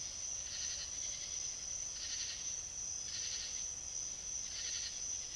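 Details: Fox recorded by a South Carolina trail camera, producing four coarse, grating barks at irregular spacing while a steady piercing whine persists underneath.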